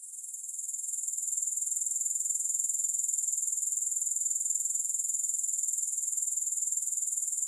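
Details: Grasshoppers in a three-hour sleep and relaxation recording with no music: a steady, very high shrill trill with fast even pulsing that fades in over the first second, then holds unbroken.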